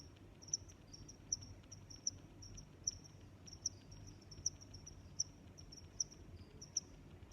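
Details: Regular high-pitched cricket chirps, each a short bright pulse, repeat about every three-quarters of a second over a quiet low rumble.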